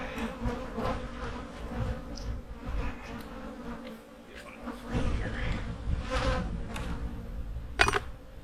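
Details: Low droning buzz of honey bees in their hives during fall preparations for winter, steady and quiet, with scattered taps, clicks and brief rustles from the hive being worked.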